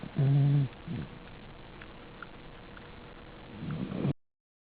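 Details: Choco, a pet dog, snoring: a loud, low, rasping snore in the first half-second, a softer snort just after, then quiet breathing before another low, growing snore near the end.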